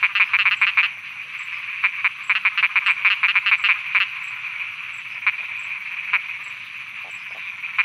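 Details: Thai frogs croaking at night: a rapid string of clicking croaks fills the first four seconds in uneven runs, then thins to single widely spaced croaks over a continuous shrill background chorus.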